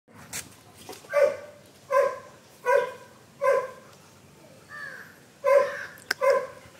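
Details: German Shepherd dog playing in a backyard, barking in a regular series of six loud, mid-pitched barks spaced under a second apart, with a short whine-like call between them and a sharp click near the end.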